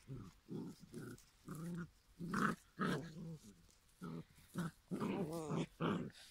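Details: Giant schnauzer puppies, five weeks old, from a German litter: a series of short low growls and grumbles, about two per second, with harmonic whines and squeals rising toward the end.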